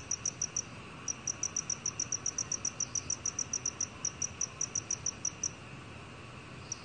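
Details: Black cricket, recorded 2020 for a national biological resources archive, gives a steady run of short, high chirps, evenly spaced several times a second.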